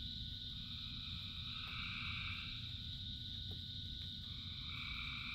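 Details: Frogs calling in rain as part of a chorus of thousands: steady overlapping trilled drones stacked at several pitches, one mid band rising in and fading out, and a constant low hiss and patter of rain underneath.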